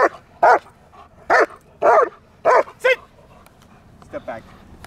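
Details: German Shepherd in training giving a handful of loud, abrupt barks, five or six in an uneven series, then quieter voice and handler speech.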